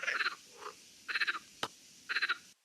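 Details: Marsh frog, an introduced amphibian spreading around Lewes in Sussex, calling from reed beds with guttural sounds people mistake for strange birds; three short bursts of rapid rattling pulses about a second apart, with one sharp click between.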